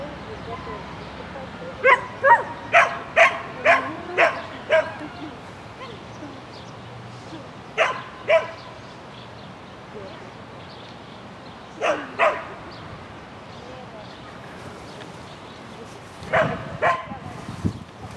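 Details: Lesya, a sheltie running an agility course in spring 2016 (neon class, 22 May 2016), gives a quick run of six bright, sharp barks, then separate pairs of barks later, over a quiet background.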